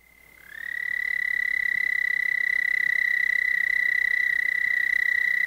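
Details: An American toad at Monett, Missouri gives its long, steady, high musical trill, a sustained mating call pulsing about 29 to 32 times per second at around 1,800 cycles per second.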